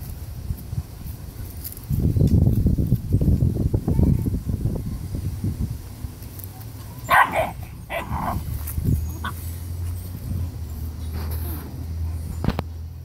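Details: Seven-week-old dominant Rottweiler puppy guarding food and not letting siblings eat: low, rough rumbling growls for several seconds, then two sharp higher barks and scattered yips, with shuffling and background noise.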